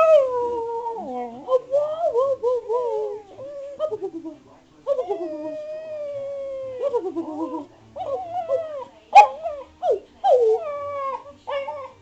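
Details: Domestic spaniel vocalising back at its owner in a talkative run of whimpers and drawn-out howls, pitch bending and warbling, with some sharper yips near the end between short gaps.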